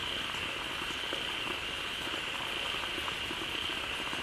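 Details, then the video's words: Many frogs packed into a pond that has just filled from a flowing waterfall call together, a thick continuous mass of short croaking pulses layered over an unbroken high-pitched hum. "เสียงฝูงกบร้องดีใจได้น้ำ Relaxing Sounds of Frogs"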